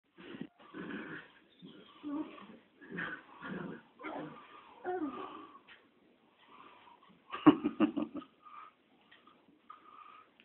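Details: Two Chihuahua puppies playing indoors, rough breathy growls and grunts in short bursts about every second, with a sharper yappy flurry near the end.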